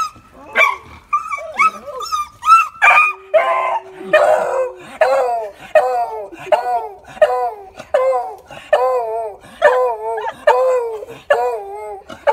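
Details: A beagle gives excited, wavering howls and yips, repeated roughly every second, greeting its owner on being reunited after a year and a half apart.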